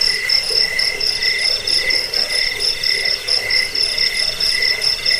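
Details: Crickets chirping in a recording meant as a rat deterrent, lullaby and bird-training master; sharp, ringing high pulses repeat rapidly and evenly, with softer lower chirps scattered underneath.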